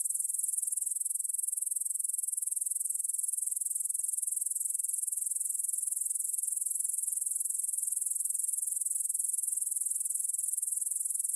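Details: Evening chorus of grasshoppers in a meadow by the Svensky monastery in Bryansk, Russia, 9pm, 6 September 2020, Tascam DR-44WL stereo: continuous shrill, fast-pulsed chirring, very even in level and pitch, with nothing else audible.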